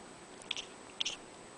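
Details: Pet cat Mimi, indoors at a window, chatters at birds flying outside to lure them: two short clusters of high, clicky twittering notes about half a second apart, with a faint room hum behind.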